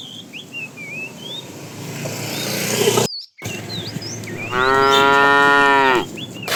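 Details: While a herd of tame cows is herded in the afternoon, a fat bull calling to a female lets out one long, steady, resonant moo as small birds chirp in the background.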